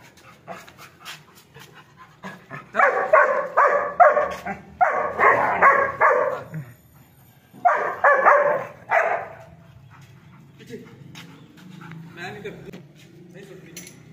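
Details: Labrador dog during a training session, giving rapid bursts of sharp, rough barks, about four or five in each burst, in three groups separated by short pauses, with soft panting and quiet room noise between.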